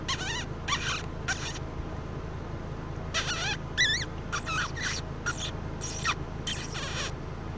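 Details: Kit fox on a summer night in Arizona; the short, squeaky, wavering whines in quick bursts are made by a person to lure the fox closer, not by the fox.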